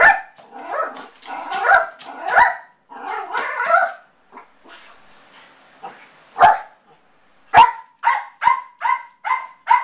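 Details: Home alone, Yorkshire terrier Motley voices separation anxiety with wavering, whining howls and yelps that give way to a string of evenly spaced high barks about every half second.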